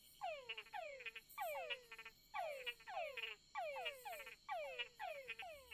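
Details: At night on creek beds on Barro Colorado Island, Panama, male túngara frogs give repeated downward-sweeping whines, some ending in short chucks, to court females while frog-eating bats listen.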